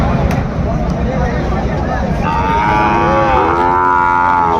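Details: At a busy cattle market in Raniganj, Dinajpur, Bangladesh, where Sahiwal bull calves are bargained over, murmuring voices come first, then a drawn-out, slightly wavering moo begins halfway and holds to the end.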